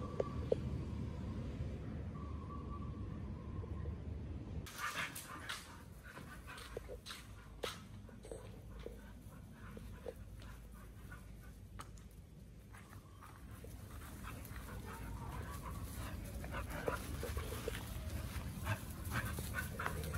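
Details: Two pit bulls eating raw quail and giant sea bass skin in a raw-feeding session; wet crunching and chewing with sharp clicks of bone and tearing, fairly steady throughout, low hum underneath.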